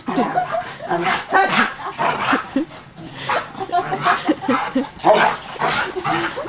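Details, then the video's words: Family dog excited on a trampoline, barking in rough, noisy bursts every second or so, with bouncing and voices mixed in throughout. "DOG GOING MAD ON TRAMPOLINE."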